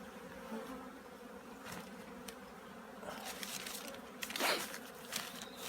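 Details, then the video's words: Honey bees getting ready for winter at a beekeeping yard: an unbroken low hum of a busy colony, interrupted by several sharp clattering knocks and a loud close buzz late on. "꿀벌들의 월동준비"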